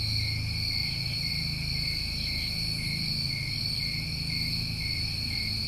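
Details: Crickets in a New England summer, a steady unbroken chorus of shrill high tones in several stacked bands with no pauses. A soft low rumble runs underneath.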